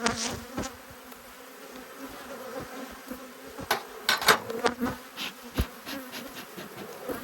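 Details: Agitated honey bees, cross at being inspected, give a continuous droning hum while frequent sharp knocks and scrapes from the hive work punctuate the recording.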